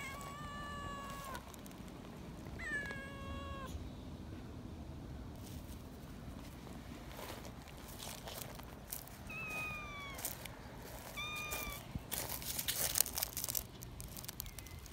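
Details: Excited young community cats being held give repeated shrill meows, some long and level, others short and bending, spread over fifteen seconds, with rustling, scratching and handling noise growing louder toward the end.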